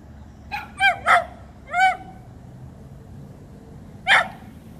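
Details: Sammy, a male dachshund at a dog park, barks while upset at a squirrel. He gives a burst of four sharp, ringing barks within about a second and a half, then a lone fifth bark after a pause, over quiet outdoor background.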